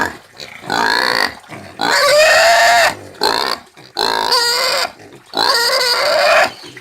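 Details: Domestic pig squealing in four long, loud, harsh screams of about one second each, separated by short pauses, with strong harmonic bands and a steady high pitch.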